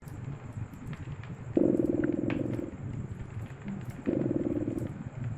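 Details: Cat purring beside a crackling fireplace in a cozy winter setting: two steady, low, buzzing purr phases about a second long each, separated by quieter gaps, with sharp fire crackles and pops throughout.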